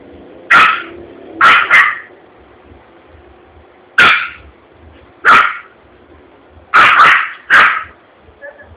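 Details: Yorkshire Terrier, frightened after a balloon exploded in a commercial area of Vitória da Conquista, Brazil, barks in sharp bursts, single and doubled, separated by quiet gaps, with faint background sounds between.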